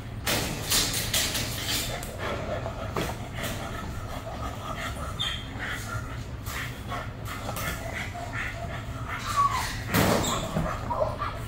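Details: Bailey, a young female German Shepherd with aggression issues, reactive to other dogs, squirrels, cats and birds, on day one of a two-week board and train; sharp broadband barks come in irregular bursts, louder near the end, with human speech and a road-like background rumble.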